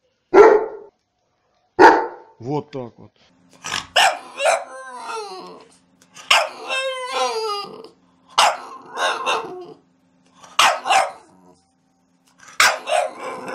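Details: Dogs from a compilation ranging from puppies to large dogs, giving short sharp barks spaced about two seconds apart, with a stretch of voiced whining or talking-like sounds in the middle.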